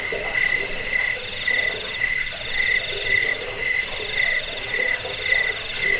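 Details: Chirping crickets meant as a rat repellent, sleep aid and songbird training track: shrill pulsed trills in stacked high tones, swelling and fading roughly every second and a half, with a soft lower murmur.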